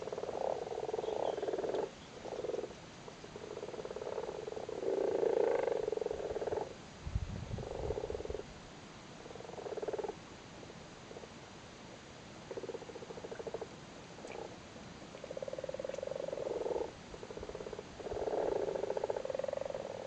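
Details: Frogs crowd a flooded cattle grid in Cork, Ireland, sitting on their spawn and calling; repeated soft purring, pulsed croaks rise and fall in bursts over twenty seconds, with a brief low thump midway.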